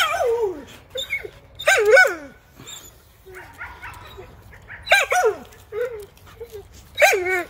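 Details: American Pit Bull Terrier, a female, excited at a rabbit while out hunting, showing prey drive: high whining yelps and short barks that fall in pitch, in bursts about every one to three seconds, with a man's quiet voice between.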